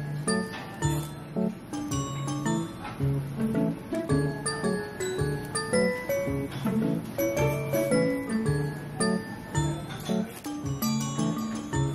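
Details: Bright background music with chiming, bell-like notes plays continuously, with no animal sounds.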